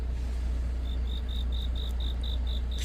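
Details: Cricket chirping on a deepening autumn night: a steady run of short, high, thin pulses, about five a second, beginning after the first second, over a constant low engine rumble.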